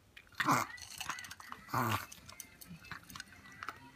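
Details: Kuroro, a smooth-coated pet Chihuahua, has a reverse sneeze, an odd cough-like fit: two loud, harsh snorting bursts about a second apart, the second longer, followed by faint soft rustles and small clicks.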